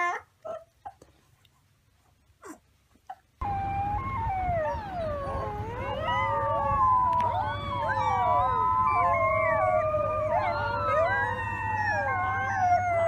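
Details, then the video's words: Pups of the wolf: a few scattered yelps over quiet, then a dense chorus of many overlapping howls sliding up and down in pitch over a steady low hum. "Baby Wolf Pups Howling"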